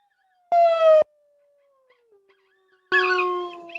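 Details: A lone coyote (Canis latrans) gives two drawn-out, wavering howls, high and tonal with rich harmonics.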